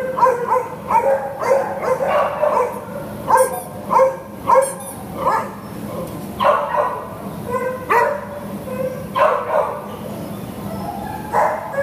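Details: A single long-coated Chihuahua awaiting adoption, recorded 6/2/2015, barks repeatedly in quick, sharp yaps, sometimes doubled, with short pauses between bursts against a constant low room hum.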